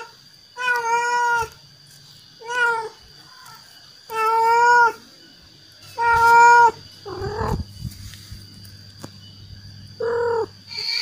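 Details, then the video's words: Male cat calling to attract females: drawn-out, wavering meows repeated every couple of seconds, each rich in harmonics, with two shorter, rougher cries near the end and quiet gaps between. "Suara kucing jantan yang bikin kucing betina singgah"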